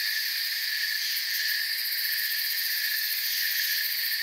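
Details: Forest crickets fill the night with a seamless high-pitched buzz of many overlapping voices, smooth and unchanging across the short stretch, with no other sounds.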